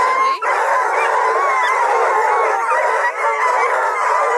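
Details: Bluetick, Redbone and Black and tan coonhounds at a breeder's kennel near Kingston, Ontario, Canada, baying together in a dense, continuous chorus of wavering, overlapping howls with no pauses.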